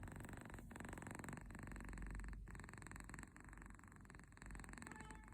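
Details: Sleeping kitten snoring with a tractor-like rumble: a low, steady, rattling purr with soft rasping breaths rising and falling about every second, in a quiet room.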